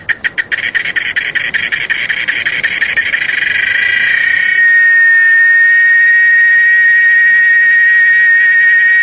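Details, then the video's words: Cicadas in Chiapas, among its natural surroundings: a rapid series of sharp buzzy pulses speeds up and merges after about four seconds into a steady, loud, high-pitched drone that holds to the end. "el sonido de el canto de las chicharras"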